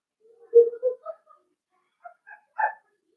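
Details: Playful yips from blenheim Cavalier King Charles Spaniel puppies, five littermates born on New Year's, romping with their mother Paris in an indoor pen; a strong drawn-out yip and quick follow-ups, a pause, then three sharp higher barks.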